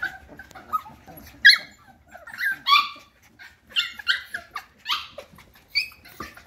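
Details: High squealing whines from F1 cockapoo puppies, bred from a Cocker Spaniel dam and a miniature poodle sire. Sharp, bending squeaks come roughly once a second, with a few louder yelps standing out among quieter whimpers.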